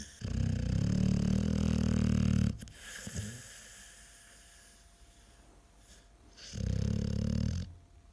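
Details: American Staffordshire Terrier snoring while asleep: two long, low, rattling snores, the first lasting over two seconds and the second about a second, separated by a quiet stretch of soft breathing.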